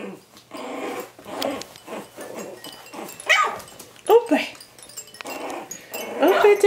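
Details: Coton de Tulear puppies at three and a half weeks old playing together, giving short squeaky yips, small growls and whimpers, with a woman cooing in French over them.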